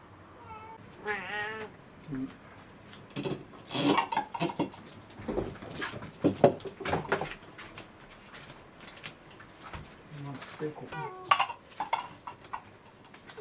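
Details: Rescued house cat waiting indoors on a morning when breakfast is late because its owner overslept with a hangover; a few drawn-out, wavering meows open the recording and return near the end, with clattering and rustling household noises between.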